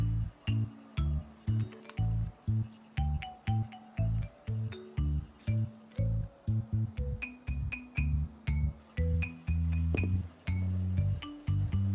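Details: Steady, rhythmic instrumental music with deep bass notes and guitar or keyboard chords.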